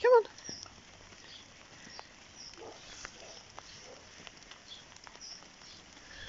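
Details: A Vizsla that dislikes rain gives one brief, high, tonal whine at the start, followed by quiet background patter.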